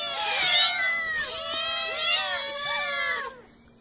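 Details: Cats giving a continuous run of wavering, harmonic meows, several arched calls overlapping, ending in quiet after about three and a quarter seconds.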